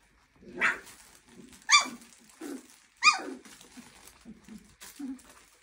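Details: Clumber Spaniel puppies of one litter, 23 days old, giving high, sharply descending yelping whines, three strong cries near 0.6, 1.7 and 3 seconds, with softer short whimpers between them and faint indoor rustling.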